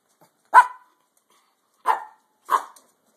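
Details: Brussels Griffon household with puppy Gus learning to walk: three brief high yapping barks, one loud then two softer after a gap, indoors and otherwise quiet.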